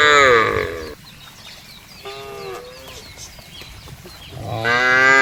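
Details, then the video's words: Cows in a field: a loud harmonic moo opens, then a quieter gap with faint high chirps, then a second strong, rising moo closes the clip. "FUNNY SOUND OF COWS IN THE FIELD..SUARA SAPI LUCU"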